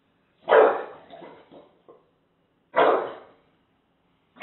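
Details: English Bulldog barking at a taco box indoors: a gruff bark followed by low grumbling noises, a second bark after a gap of about two seconds, and the start of a third.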